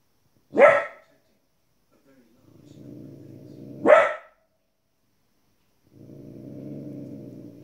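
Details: A 15-week-old female Border Collie puppy barks at animals shown on TV. Two loud, abrupt barks about three seconds apart, with a low TV narration voice heard between and after them.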